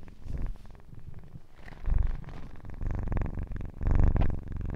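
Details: Purring kitten recorded very close: a low buzzing rumble that rises and falls in waves, with loud, throaty surges around two and four seconds.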